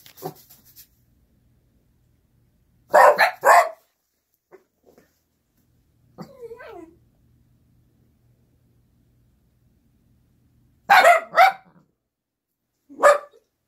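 An Italian Greyhound gives short, sharp barks in bursts, asking to be let outside.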